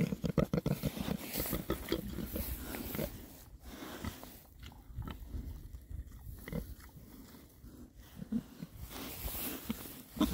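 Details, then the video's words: Six rare breed Oxford Sandy and Black pigs, male, foraging happily in winter between storms; low rumbling grunts mixed with crunching and rooting noises, with a louder snort near the start and end. "rare breed Oxford Sandy and Black, happy pigs, winter forage. 6 boys. ASMR oinks."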